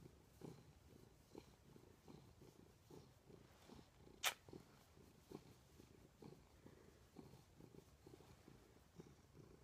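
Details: House cat purring in bed next to its owner, 20 December 2014; a steady low throbbing purr repeating roughly twice per second, interrupted once by a sharp click midway.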